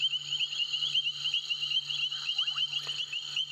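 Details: From a Sabi Sand recording, a loud, unbroken chorus of painted reed frogs: shrill squeaking notes follow one another rapidly and high. Occasional lower bubbling sweeps from kassinas and a faint constant hum run beneath.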